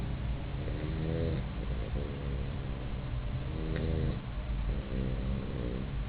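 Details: Puppy in deep sleep in its bed, snoring: low, rough rumbling breaths with buzzy harsher bursts around every second or two, steady soft background.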